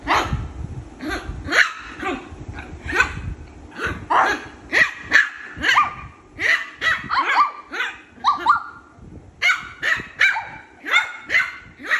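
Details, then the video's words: Shih Tzu puppy play-fighting with its sister: a steady stream of high, sharp yips and squeaky barks, many with quick rising-then-falling pitch, repeated roughly every half second. "Shih tzu puppy fighting with his sister"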